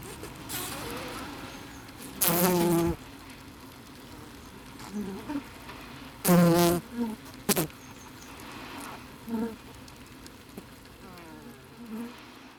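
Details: Close-perspective Asian honey bees (Apis cerana) give loud, buzzy bursts of hissing that swell and stop abruptly over a low hum; the hissing is an alarm signal, likely triggered by microphones placed in their habitat.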